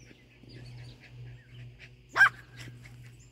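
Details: Yorkie confronting a groundhog, its owner cautioning that it will get bitten: a single loud, abrupt bark near the end, with a couple of softer yips and a constant low background hum.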